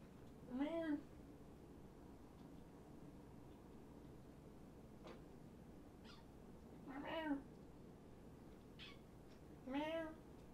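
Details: Surrendered kittens at Purrfect Pals, indoors at night with a visitor: three clear meows spaced several seconds apart, each bending upward then down, plus faint short squeaks and soft background hum.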